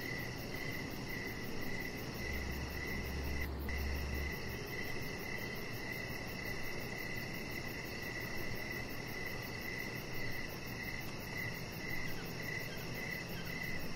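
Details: Evening crickets near a deck with Rocket the chihuahua puppy resting under decorative lights; an even train of clear chirps, roughly two per second, runs throughout, with a brief low hum and a faint click early on.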